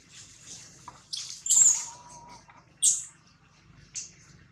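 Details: Newborn baby monkey named Jody crying loudly while held by a kidnapper: shrill, high squeals in short bursts, loudest near the middle and repeated twice more, with a thin steady tone sounding between the cries.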